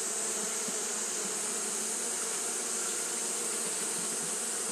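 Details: On a hot day, Japanese honey bees keep fanning without pause, giving an even, low-pitched buzzing drone that holds steady beneath a bright, continuous high hiss.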